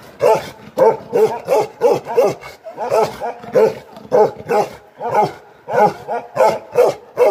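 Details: Aggressive Bakarwal dogs, Himalayan sheep guardian dogs, barking without pause: a rapid, uneven series of about fourteen deep, harsh, harmonic barks over seven seconds, with short gaps and no other clear sounds.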